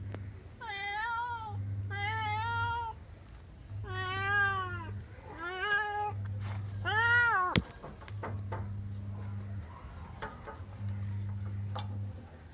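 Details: A cat meows five times in quick succession, each call arched and harmonic-rich, the last one loudest, followed by a sharp click and then only a low background hum.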